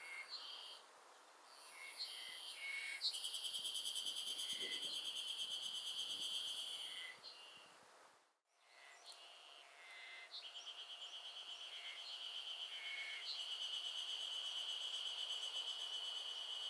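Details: Afternoon chorus of Ezo Haruzemi cicadas, an early-summer sound of Hokkaido, heard in a garden. High, rapidly pulsed buzzing rises and falls in overlapping waves, fading briefly midway before building again into a continuous shrill drone.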